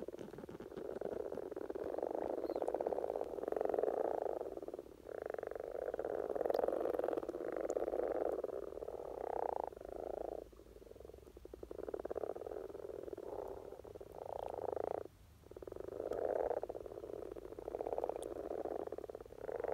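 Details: Many common frogs croaking together during peak spring courtship in Norway; a dense, low, purring chorus of overlapping grunts pulsing in waves, with short quieter gaps around ten and fifteen seconds.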